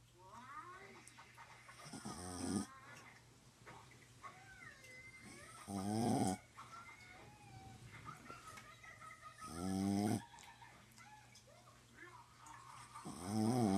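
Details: Visiting pet dog sleeping through the night, snoring in a slow rhythm: four harsh rattling snores spaced roughly four seconds apart, with soft wheezy whistling breaths and a low constant hum between them.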